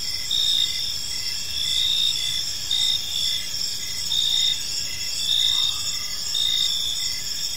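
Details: Evening park chorus of crickets, dense high-pitched ringing with pulsed chirps recurring roughly once a second in swelling bursts, a faint brief tone near the middle, low rumble beneath.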